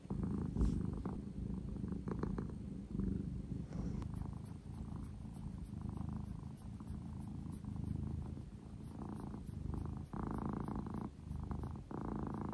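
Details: Sobbang, a male British Shorthair house cat, settled on his owner's lap and purring in a deep, unbroken, buzzing rumble that rises and falls gently with each breath, in a quiet room.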